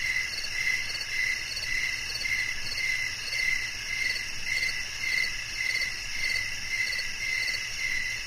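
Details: Steady cricket chirping, short high trills repeating roughly every half second above a bright continuous buzz of many insects.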